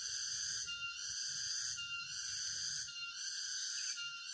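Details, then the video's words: Forest cicadas near Jatiarjo, Prigen, Pasuruan in East Java, recorded 23 October 2020 during a walk. A loud, hissing, high-pitched chorus throbs in waves about once a second, with faint low rumbling underneath. "Walk through a forest of East Java with the sound of cicadas."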